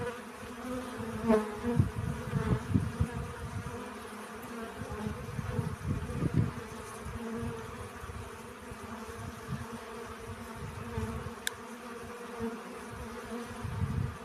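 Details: Honey bees at work collecting pollen: an even, humming drone runs under frequent low rumbling gusts and thuds, with a faint high click late on.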